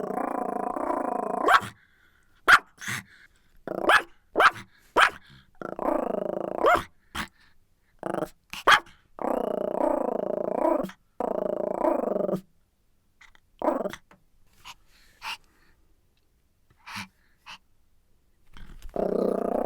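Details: A Pomeranian alternates long rumbling growls with bursts of sharp, high yapping barks, sometimes in fast clusters of three or four, with a few quiet pauses before a final growl.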